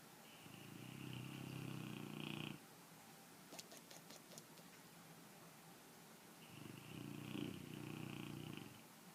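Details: Pet dog asleep with flapping jowls: two drawn-out, buzzy, rattling snores separated by a pause of about four seconds, with a few soft clicks in the quiet gap.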